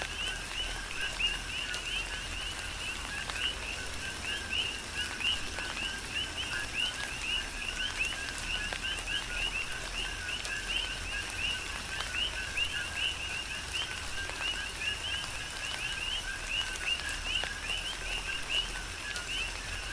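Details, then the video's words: Long stretch of coqui frog chorus in a tropical rain shower on the Big Island of Hawaii: countless overlapping two-note calls, low then rising chirps, forming a continuous rhythmic wall of sound over steady rain. "Tropical Rain & Coqui"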